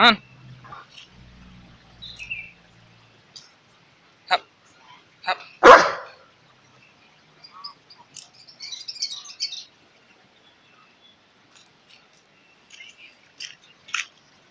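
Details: A household Alaskan Malamute lets out one loud, sharp bark midway. Soft scattered clicks and shuffling sounds surround it, with a low hum at the start and faint high rustling later.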